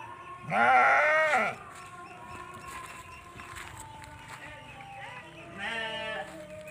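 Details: Eleven-month-old Texel Merino ram, a large breeding male, in a pen; one loud, quavering bleat lasting about a second, then a softer, shorter bleat near the end, with faint background sounds between.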